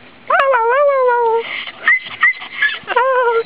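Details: Dog playing fetch on a hot day: long tonal whines that rise then slowly fall, several in a row, with short breathy bursts between and a person calling out around them.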